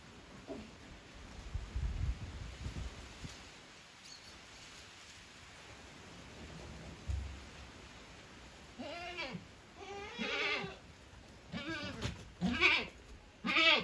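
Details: Savanna goat in Brazil, quiet at first, then a rapid run of short, nasal, wavering bleats from about nine seconds on, growing louder toward the end, over low background rumble.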